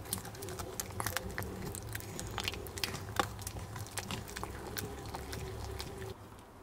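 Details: Male Maltese Jamong, born in Gwangju in December 2015, crunching duck neck bones. Rapid, uneven cracking and gnawing, close to three bites a second, dense and crackly in a small room, then fading near the end.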